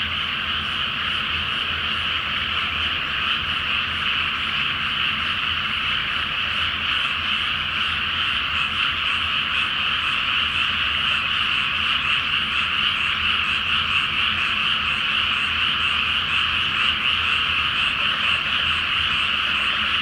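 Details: Frogs chorusing at night in a water-filled rice field ahead of planting, full moon overhead: a thick, constant mass of overlapping croaks, with faint rapid pulsing running through the steady din.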